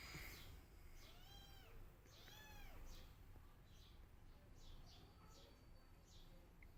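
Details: Kittens meowing for their missing mother: two soft, arching mews close together, then fainter high cries fading into a noisy, rumbling background.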